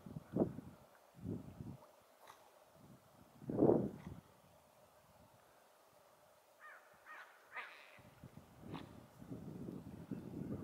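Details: A pair of otters: low, rough bursts early on, then a quick run of short, rising, squeaky chirps near the end, with more low grumbling sounds after them.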